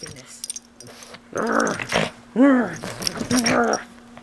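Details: Pug dog playfully attacking a plush toy at home, giving a rough growl followed by a sharp arched whine and a shorter squeal, while a person cheers him on; a faint steady hum runs underneath.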